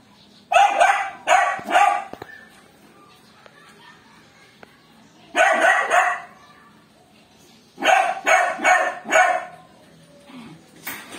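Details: A playful miniature dachshund barks in bursts of two to four sharp, bright barks, with pauses of a few seconds between bursts and a faint hum behind.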